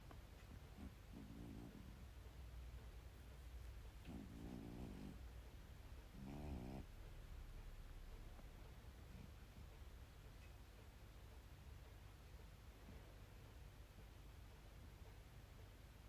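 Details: A sleeping cat snoring indoors: three soft, raspy, fluttering snores about two to three seconds apart, each lasting under a second, over a steady low hiss.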